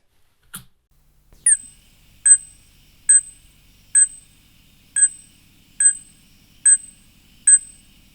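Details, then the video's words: Fruit bat calling, a mammal often mistaken for a bird: after one short opening note, a run of metallic, ringing 'tink' notes repeated steadily about every 0.8 seconds, each a bright ping with a high overtone, over a quiet background. "Number 13 is yet another mammal that often raises a question of what bird is this and that is a fruit bat."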